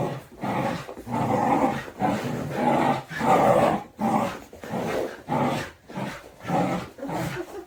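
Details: Two Border Collies playing tug of war, not aggressive, just enjoying the game; one is vocal throughout, giving a continuous run of rough, throaty growls in bursts of about half a second to a second, broken by brief pauses, indoors.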